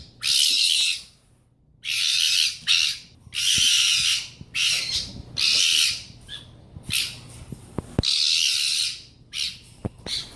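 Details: Pet fennec fox screaming loudly. Harsh, raspy, broadband screams of about one second are repeated with brief gaps, sounding gruesome though such noises can come from a happy fox.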